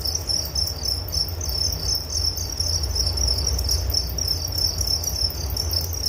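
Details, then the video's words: Crickets chirping in a relaxing nature recording for sleep: a dense, steady high-pitched pulsing trill with a fainter harmonic band above, over a low rumbling background hum. "Relaksasi Suara Jangkrik Penghantar tidur || Nature Sound of Crickets"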